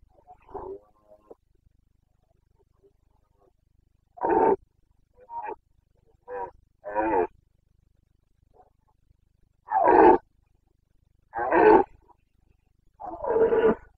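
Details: Carpathian red deer stag roaring in the breeding season, Bucovina mountains, 29 September 2022; a series of loud, hoarse, harmonic roars, several clustered bursts spaced a second or two apart, rising in strength toward the end.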